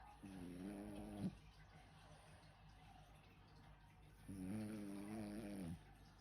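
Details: French bulldog named Sam snoring while asleep indoors: two long, rough, buzzy snores with stacked low tones, each lasting over a second and separated by about three seconds of quiet breathing.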